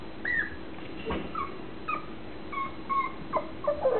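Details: Mixed-breed puppy, nine weeks and three days old, giving a string of thin, high, whistled whimpers and short yips. Some notes slide downward, coming in irregular bursts about every half second against a quiet room.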